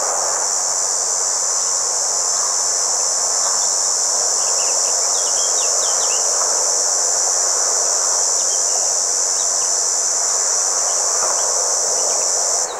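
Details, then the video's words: Red cicada (Tibicina haematodes) recorded at a motorway rest area in Vienne, France, on 27 June 2023, singing one unbroken, high, hissing buzz that holds steady throughout. "CIGALES Rouges/Tibicina haematodes/Chants ! BRUITX"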